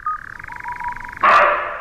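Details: A roe deer gives one loud, hoarse bark that starts abruptly and fades, at night in fir forest at 2,000 m in the Chistau valley, Pyrenees. Before it, the steady pulsing call of a boreal owl runs in the quiet background.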